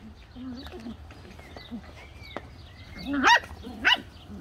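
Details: Several Bedlington Terrier puppies make soft, wavering whimpers, then two loud, rising yelps close together at the end, over quiet room noise.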